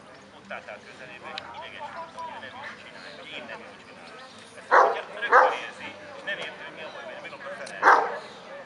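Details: Kuvasz barking at the 2017 Kuvasz club dog show in Kishegyes (Mali Iđoš): two loud, harsh barks about half a second apart, then a single bark a few seconds later, with murmuring voices throughout.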